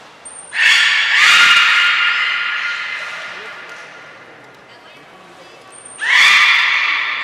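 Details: At Nagoya Port Aquarium on 2 April 2023, belugas join a training session with every animal taking part. Two bright, nasal, harmonic calls are heard, each lasting about a second and each opened by a brief thin high tone, with a quieter gap between them.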